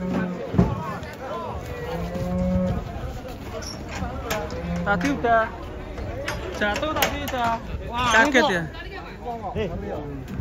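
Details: Cattle, one of three restless, agitated cows being unloaded from a truck, giving low drawn-out moos with a few rising notes, mixed with excited human voices and clatter throughout.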